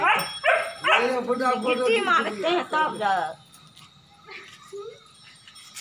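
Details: Play fight between a two-month-old Rottweiler puppy and a two-year-old German Shepherd: a run of high, wavering yips and whiny barks for about three seconds, then quieter scuffling and faint voices.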